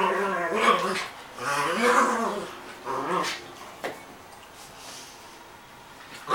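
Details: Dogo Argentino Ziza and Maltese Princess fighting inside a room: several bouts of rising-and-falling whiny snarls in the first three seconds, then quieter scuffling and a sharp knock, with human speech nearby.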